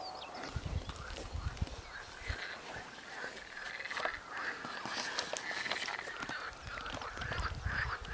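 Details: A chorus of frogs in a garden wetland area calling together, with steady overlapping croaks that sound almost like quacking.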